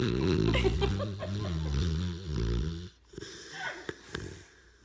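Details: Dog snoring: a low, wheezy, buzzing rumble with rapid fluttering pulses, held for about three seconds before dropping away into near quiet broken by a few soft breaths and clicks.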